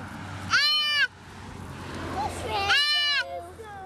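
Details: Baby deer, a female fawn handled by people before release into nearby woods, cries twice, two loud nasal bleats about two seconds apart, each arched in pitch, with quiet outdoor background and faint voices between.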